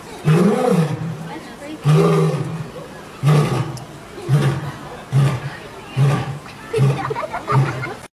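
A lion gives two long, deep moaning roars, then a run of shorter grunts that slowly fade.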